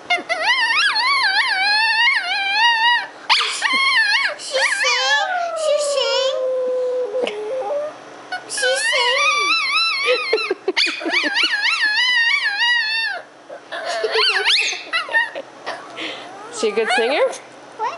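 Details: A pup and a small girl vocalise together at home: repeated wavering howls and sliding whines alternate with short yips and pauses, while an adult talks between the bouts.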